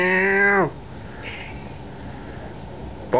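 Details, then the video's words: British Blue cat angry at its owner: one loud, drawn-out meow lasting under a second, with a steady pitch that drops sharply at the end. A quiet room follows, then a brief sharp sound right at the close. "British Blue angry cat"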